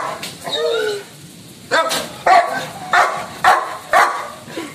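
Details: Lucky the Labrador, angry, starts with a drawn-out whining moan, then after a pause fires off five sharp, evenly spaced barks about every half second.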